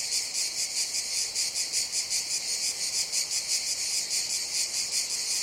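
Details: Loud shrill buzzing of cicadas, the hiss rising and falling in regular throbs roughly three per second, carrying on steadily with a quiet background.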